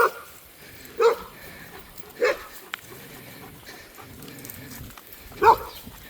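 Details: On a forest walk with other dogs, a dog gives three separate sharp barks spread over several seconds, over quiet outdoor background noise.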